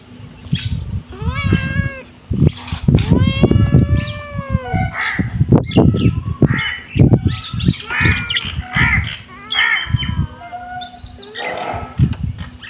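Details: Several kittens mewing insistently, rapid stacked harmonic cries overlapping one another, with loud low thumps and handling noise throughout.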